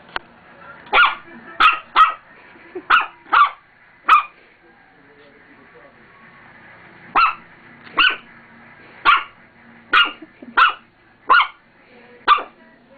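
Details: Roxy the dog barks repeatedly at her own mirror reflection. Six barks form a first burst, then a three-second pause, then about eight more barks at roughly half-second to one-second intervals, all sharp and bright.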